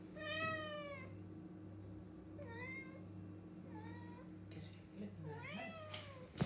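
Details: Male house cat indoors begging for breakfast at a cabinet; three or four drawn-out harmonic meows, the first and last longest and falling in pitch, over a constant low electrical hum with a few knocks.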